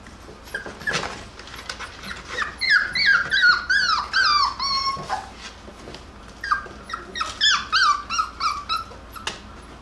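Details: Jackabee (Beagle Jack Russell cross) puppies playing and wrestling indoors give bursts of high, thin, downward-sliding whimpers and yelps, several in quick succession, then a pause and another run.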